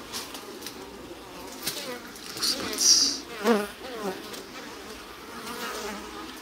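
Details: Japanese honey bees in a stacked-box hive in spring, bottom board slid open; a soft background hum of wings swells in two louder bursts near the middle, mixed with scraping and clicking handling noises.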